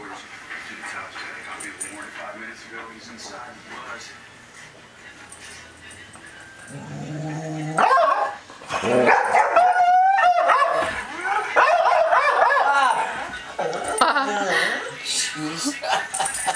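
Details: A 6-month-old Golden Retriever in a playful barking match with a girl over a tennis ball gives short barks, yips and a rising-falling whine over a person's voice. Golden Retriever.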